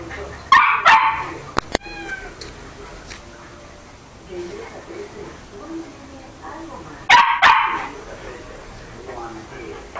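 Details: A pet toy poodle named Chucky barks during play, giving a rapid double yap early on and another burst near the seven-second mark, with sharp clicks and soft human voices in the background.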